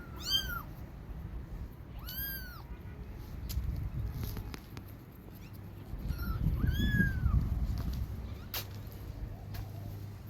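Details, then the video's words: Kittens crying to their mother for milk, giving a few high arched mews spaced out over ten seconds, with low rumbling and handling noise in between and a steady hum. "Cute cat babies crying for cat she ignore 1st then calls for milk"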